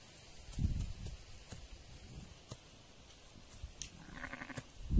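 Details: Sheep in a flock tended by a shepherd who talks to his animals; a short wavering bleat rises near the end, after low muffled thumps of wind or handling.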